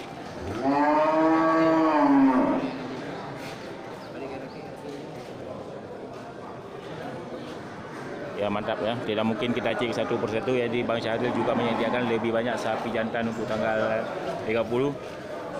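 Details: At the Geurugok livestock market on 29 March 2022, in the last week before Ramadan, a large local cow gives a long moo lasting about two seconds that swells then eases down. A quieter lull follows, then steady crowd talk.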